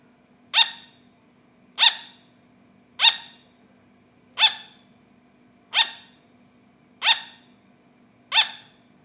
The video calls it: Sugar Glider Barking